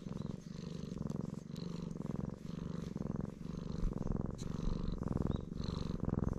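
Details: Loud, contented purring from a black stray cat being stroked: a continuous deep vibrating rumble in rhythmic breaths, each inhale and exhale phase roughly half a second to a second long.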